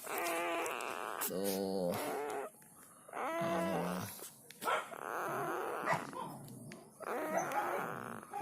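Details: Newborn black village dog puppies, four of them, eyes not yet open, nursing from their mother: a series of thin harmonic whimpers and whines, some rising, in short bouts with pauses, mixed with a person talking nearby indoors.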